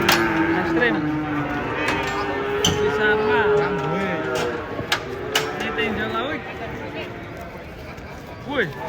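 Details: Giant cattle stepping down from a truck: a long, low moo holds steady for several seconds, then shorter wavering lows follow, broken by sharp knocks and clanks.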